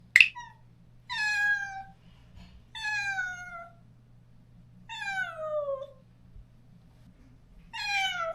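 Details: Stray cat in a countryside yard, recently neutered and crying for its separated companion: four drawn-out, harmonic meows that slide downward, spaced about two seconds apart, plus a sharp click at the start, against a low steady hum.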